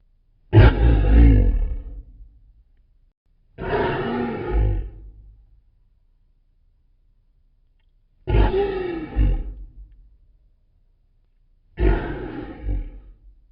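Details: Deep, powerful lion roars, given to mark territory and stay in contact with the pride: four rough, low bursts of about one to one and a half seconds each, spaced three to four seconds apart with silence between.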